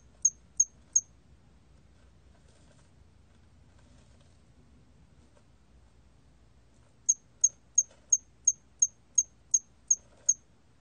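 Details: Three quick, high chirps from a hairy cricket, about six seconds of quiet, then a steady series of ten evenly spaced chirps, with a faint low hum underneath.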